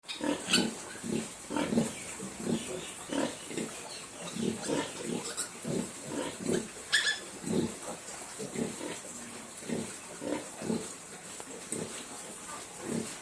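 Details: Duroc piglets on a pig farm in Assam, giving a steady series of short low grunts, roughly two per second, some overlapping, with a faint high hiss in the background.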